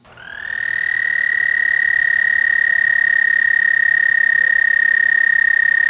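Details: Male American toads (Anaxyrus americanus) at a backyard breeding pond in spring give a long, steady, musical trill, the mating call to attract females.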